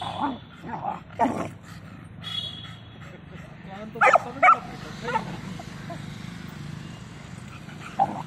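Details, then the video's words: Dogs in a fight between an American bully and a beagle, the beagle getting the upper hand: harsh snarling bursts, a loud cluster near the middle, over continuous human voices and background rumble. "American bully fight beagle and bully fight"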